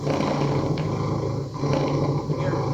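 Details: A domestic cat's contentment purr, the happy-cat purr contrasted with the louder solicitation purr, gives a steady low rumble with a soft, rapid throbbing pulse.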